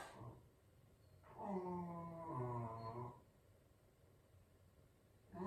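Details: Shetland Sheepdog, a dog that always sneezes before howling, gives one drawn-out, tonal howl of about two seconds. The howl is rich in harmonics and wavers slightly before fading. Brief short sounds come at the start and the end.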